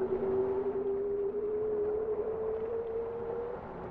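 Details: A bowhead whale sings one long, smooth tonal note that rises slowly in pitch for about three and a half seconds, with a softer lower tone beneath it and a constant hissing background.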